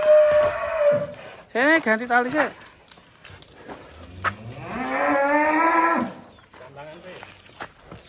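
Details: Huge fattened 'monster' cattle at an attraction, having nearly struck an Outlander car, lowing repeatedly: a flat drawn-out moo, then two short rising harmonic moos, then a long low moo swelling in the middle; faint voices behind.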